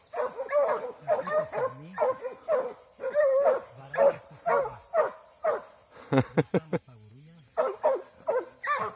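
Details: Eight-month-old Plott hound baying hard after being released, loud choppy barks repeating roughly twice a second, with a few sharp yelps near the end and low human voices underneath.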